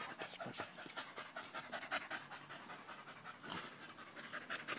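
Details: Danco, a dog, panting loudly while sticking close to someone's leg on 5 August 2013; fast breathy bursts, roughly two or three each second, run steadily through the recording, with a human voice faintly present.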